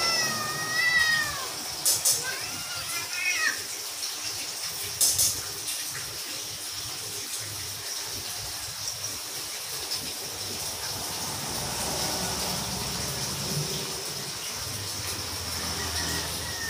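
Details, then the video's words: Playing house cats talk in two quick bursts of wavering, harmonic meows in the opening seconds, followed by a quiet room with faint clicks and soft background noise. "Cats are Playing while Talking"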